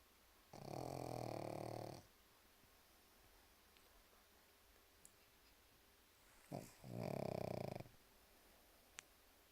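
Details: Pug snoring while asleep indoors, two loud rasping snores of about one and a half seconds each with a quiet gap between, a brief short snort just before the second, faint ticks in the background.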